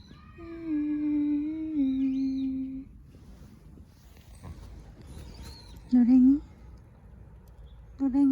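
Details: Cat settled on a person's lap during an outdoor walk, picking that lap and staying there. A long, steady, even-pitched tone comes first, then two short, loud, wavering meow-like calls, with soft human speech in between.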